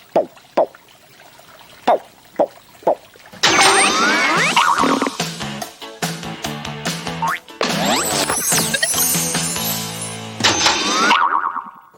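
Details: A few short boing and plop effects open the passage. Lively music with sliding and twanging sounds follows, and no animal call is heard.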